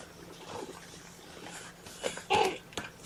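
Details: Young kittens from Mama Seraphina's litter of four objecting to being pottied before their weigh-in, indoors on 2018-10-01; one brief, tonal mew with clear harmonics comes late among soft handling rustles and quiet background noise.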